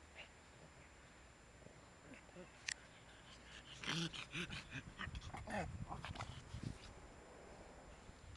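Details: Shih Tzu playing with a father and his young son, giving a quick run of short, low, throaty growls and whiny grunts over about three seconds, with rustling and handling noises around them.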